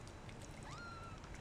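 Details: Tiny shaded golden Persian kitten from a four-kitten litter just over two weeks old, exploring near the nest, gives one thin mew that sweeps sharply upward then holds a steady pitch before fading, low hum beneath.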